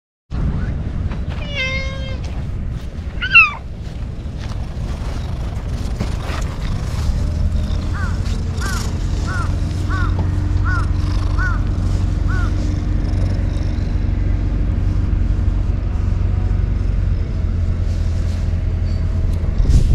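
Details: Ear-tipped TNR community cats living alongside homeless people, fed and stroked after cleanup, turning strongly affectionate; two short harmonic meows early on, then a run of six brief repeated chirps, over a steady low engine hum.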